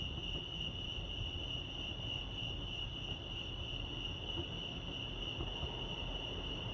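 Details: Cricket chorus at Lake Arrowhead in California: one continuous, shrill pulsed tone holding an even pitch throughout, over a faint low hum.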